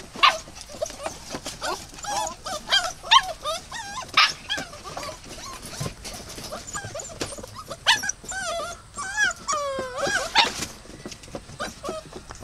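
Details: Dog giving a long run of high, whining whimpers and short yips, many rising and falling in pitch, some drawn-out and bent, in bursts over about twelve seconds with brief gaps.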